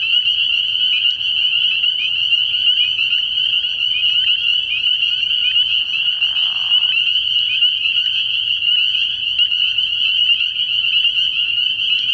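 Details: At a frog pond at night in early year, many spring peepers call together in a continuous high-pitched shrilling chorus; a brief lower, breathy burst rises about midway through.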